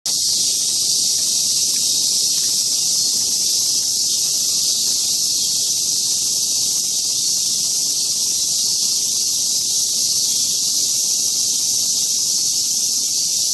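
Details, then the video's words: Cicadas calling at Mount Atago (Atagoyama): a dense, unbroken high buzz that holds steady at full strength for the whole stretch, with no pauses and no other clear sounds. "愛宕山 蝉の鳴き声"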